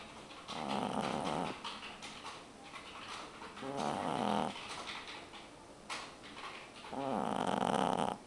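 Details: Two-month-old pug puppy asleep indoors, snoring: three long, rasping snores of about a second each, spaced roughly three seconds apart, with quieter breathing between them.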